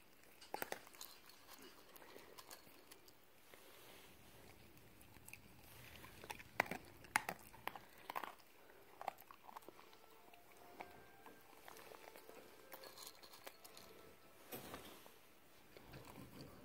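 A Cocker Spaniel eating, with irregular crunching and biting noises in a quiet indoor space.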